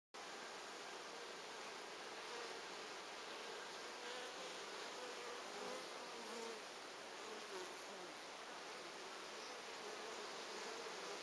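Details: Honey bees at hive number 3 of an apiary, 14 August 2011, while pollen is brought in; a dense, even hum of many wings fills the whole stretch with no breaks.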